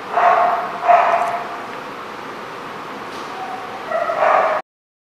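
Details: Dog at a lot on 21 March 2014 giving three hoarse barks, two close together at the start and one after a pause of about three seconds, over low background hiss.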